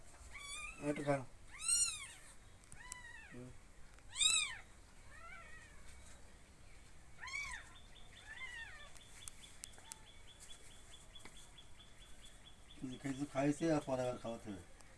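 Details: Kittens mewing in a series of sharp, arched, high-pitched cries. The calls come in bursts with quieter gaps between them, then a dense cluster of rapid meows near the end, with human voices faintly present.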